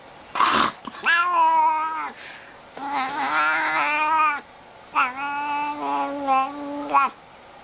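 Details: Talking domestic cat producing three long, wailing, speech-like yowls, each around a second or more with wavering pitch and a short attack at the start, separated by brief pauses; faint music underneath.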